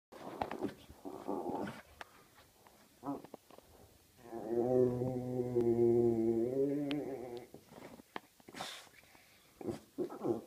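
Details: Dog with an itch making a funny noise: a drawn-out, low, moaning groan that lasts about two and a half seconds mid-clip. Short rustling, scuffling bursts come before and after it.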